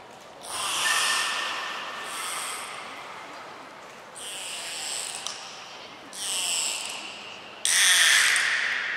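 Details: Belugas Hodoi, Taanya and Mirai in a training session at Nagoya Port Aquarium on 1 November 2020: several separate bursts of harmonic, squealing sound in stacked bands, each lasting about a second and fading, with short gaps between them.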